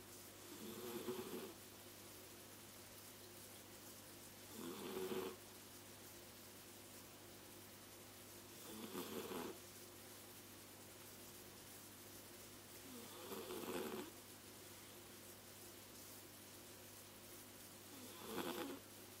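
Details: Sleeping cat snoring indoors: five soft, raspy, breathy snores spaced about every four seconds, each swelling and fading, over a steady low electrical hum in a quiet room.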